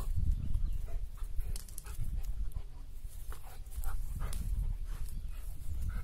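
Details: Rottweiler (Canis lupus familiaris), panting.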